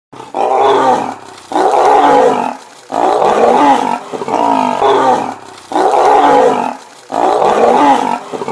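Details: Lions fighting, with loud harsh roaring snarls in six long bursts, each about a second long, separated by brief pauses, the voice rough and mid-pitched throughout.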